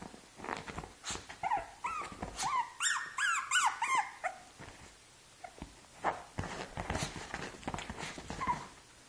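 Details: Six-month-old Shih Tzu trying to play with a two-month-old Shih Tzu puppy, giving a quick series of high, bending whine-yelps mid-clip amid thumps, scuffling and soft squeaks of play.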